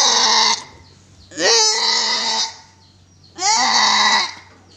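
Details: Farm goat in Gulbarga, Karnataka, India, bleating three times at roughly two-second intervals. Each call is loud and nasal with a rich harmonic tone and a slight quaver, separated by near silence.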